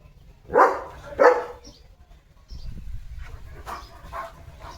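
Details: German Shepherd named Leo, guarding a farm village in the morning against passing cattle, vehicles and dogs, lets out two quick forceful barks in succession, followed by low rumbling background noise and faint distant sounds.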